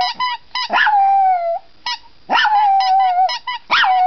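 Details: A Chihuahua sings along to a squeaky toy, howling in long, high, wavering notes between bursts of sharp squeaky-toy squeaks.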